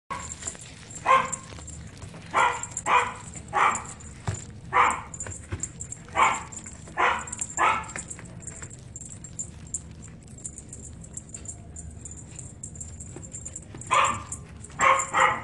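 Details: Female Shih Tzu born January 2017, white and brown, at a pet shop, giving sharp repeated barks roughly every half second to second in bursts, with a quiet pause midway and a faint high steady hum throughout.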